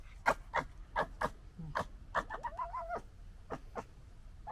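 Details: Fox noises during fighting: a series of short harsh barking yelps and chattering gekkering bursts, then a wavering whining cry in the middle, with a low background rumble.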